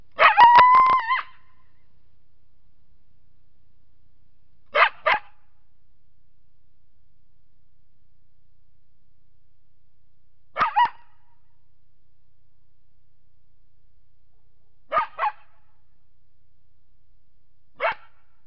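A coyote opens with a short, wavering howl broken by quick yips. Sharp barks follow alone or in pairs every few seconds, with silence between them.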